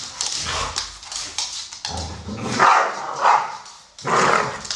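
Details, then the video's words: Playing American Staffordshire Terriers, a brown 12-year-old male named Solo and a grey female Shaya, 1 year 8 months: a few sharp barks and yips punctuate a noisy breathy scuffle. "American Staffordshire Terrier (Amstaffs playing)"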